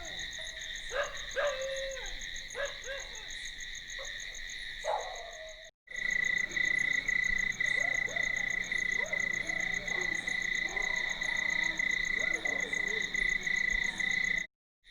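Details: Night crickets keep up a steady, high, ringing trill, with lower frog croaks mixed in and a dog also present in the night ambience.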